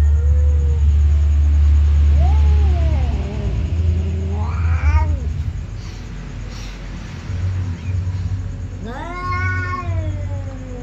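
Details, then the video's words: Two ginger cats meowing while a baby kitten watches after eating: drawn-out, wavering meows with bending pitch, some rising into strained cries, separated by pauses, over a steady loud low hum. "2 ginger cats meowing"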